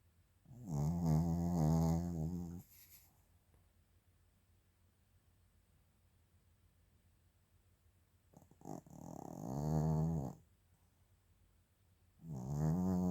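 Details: Sleeping Maltese–Shih Tzu mix dog snoring indoors: three long, droning snores of about two seconds each, with a buzzy tone rich in overtones, separated by long quiet pauses.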